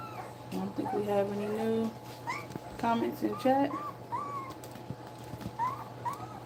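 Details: Nursing German Shepherd puppies, two weeks old, make thin wavering whimpers, some held steady and others sliding upward, scattered irregularly across the stretch in a small room.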